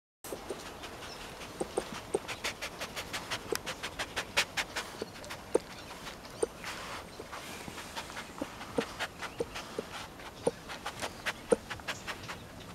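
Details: A rescued tayra gives a string of short, sharp clicks and huffs, like quick breathy panting.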